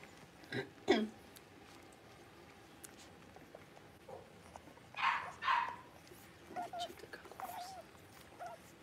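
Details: Blenheim Cavalier King Charles Spaniel puppies, a litter of five born at New Year, learning to bark and howl in an indoor puppy pen: a short yelp near the start, then two high yappy barks close together, followed by thin whines.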